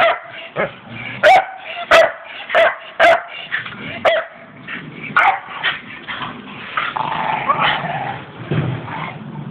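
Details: Staffordshire Bull Terriers playing, short yappy barks in a quick burst over the first few seconds, then softer muffled growly sounds and scuffling as the play continues.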